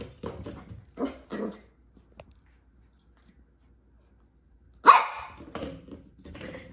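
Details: Corgi puppy playing with a ball: short, sharp yaps in quick bursts, a pause of about three seconds, then one loud bark followed by softer grumbling yips, indoors with little background noise.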